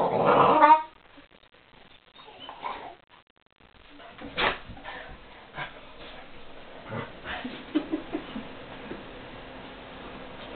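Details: Two female Weimaraner friends at play in their own special way: a loud harmonic yelp opens, then scattered whines, grumbles and soft yips.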